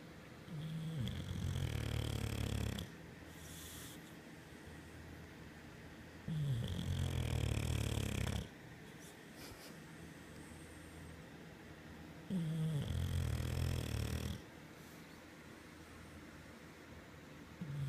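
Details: An English Bulldog asleep on his pregnant owner's belly snores loudly, each low rumbling breath lasting about two seconds with quiet pauses between.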